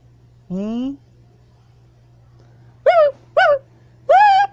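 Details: A siamang gibbon, hanging and swinging on a wire, gives loud, tonal howls: one low rising note followed by three higher, arching whoops.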